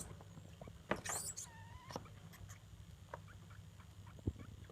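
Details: Degu mother with her young daughters, vocalizing among themselves as the daughters compete for the mother; a burst of sharp high chirps is followed by a short, level harmonic squeak, then scattered faint clicks over a steady low hum.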